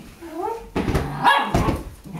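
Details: Tricolor Shetland Sheepdog playing with a child on 15 January 2011 gives a quick run of sharp, short barks right after a man calls out in Dutch.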